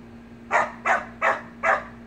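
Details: Samoyed puppies at play in a pool, giving four short, sharp barks spaced about a third of a second apart, with a constant low hum underneath.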